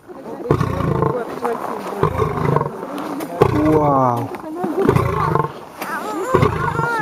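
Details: Aggressive 400 kg male lion giving deep, rough growling roar bursts about every second and a half, each lasting under a second, with people talking in Russian between and over the calls.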